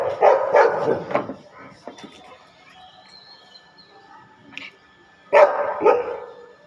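A Rottweiler gives deep, loud barks in two quick bursts separated by a quieter pause.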